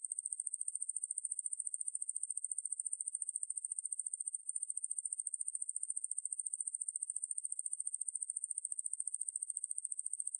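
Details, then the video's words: Ruspolia lineosa coneheaded katydid, recorded in 2020 and credited to Korea's National Institute of Biological Resources, gives a steady, very high-pitched buzzing trill of rapid even pulses that runs unbroken throughout. "왕매부리, 여러번 듣기, 곤충소리"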